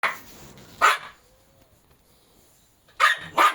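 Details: Jack Russell Terrier barking indoors in a small room: three sharp, loud barks, one near the start and two close together at the end, separated by quiet.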